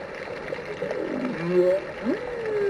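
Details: Arabian Sea humpback whale song, recorded off India's mainland coast: one unit in a phrase, low moaning tones that slide down, then a sharp upsweep and a long falling note.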